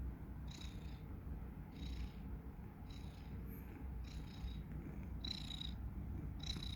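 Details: Sleeping domestic cat named Tomas, snoring steadily. Regular breathy, faintly whistling puffs recur roughly once a second over a continuous deep rumbling drone.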